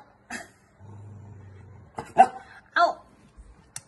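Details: Bossy Pomapoo dog scolded for biting: two sharp yappy barks about half a second apart, with a soft earlier yap, a low hum and a person's voice nearby.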